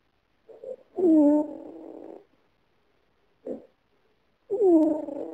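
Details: Snoring female cat, dreaming she is running away; long harmonic moans trail off over a second or more, with a short grunt in the gap before the next drawn-out snore.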